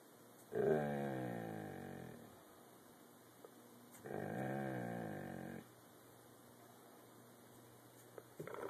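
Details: Hobbles the dog, teased for biscuits, growls on a hand command: two long, moaning, rumbling growls of about one and a half seconds each, separated by a quiet gap, ending with a brief click indoors.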